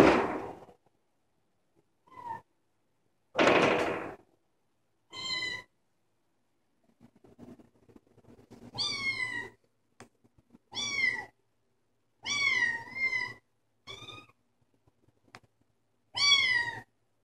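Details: A female Bengal kitten meowing indoors: a series of short, bright, rising-then-falling mews, some slightly wavering, given in bursts a second or two apart, with a few thumps and rustles early on.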